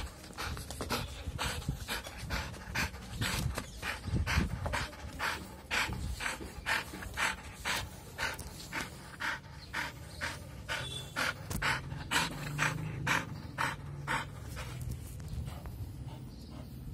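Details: Rapid rhythmic panting from an American Bully in Rewari, breathy noisy puffs repeating roughly twice a second for over fifteen seconds, a brief louder snuffle early on, low rumbling background throughout.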